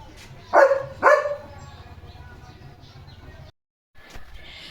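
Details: Domestic German Shepherd gives two loud, deep barks in quick succession, followed by low background hum and a brief gap.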